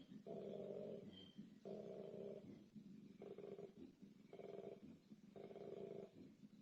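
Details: Koala (Phascolarctos cinereus), bellow: male calling to find a mate in breeding season.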